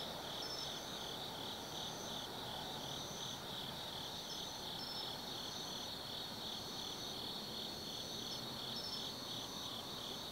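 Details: Forest insects on an autumn night at Tsukimi no Mori in Kaizu, Gifu, Japan: a constant high, throbbing chirr beneath regularly repeated higher trilled bursts, with faint low background noise.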